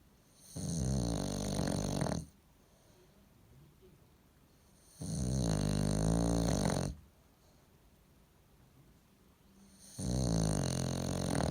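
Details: Three heavy, rattling snores from a bulldog asleep at home, each about one and a half to two seconds long and spaced around four to five seconds apart, with soft quiet gaps between.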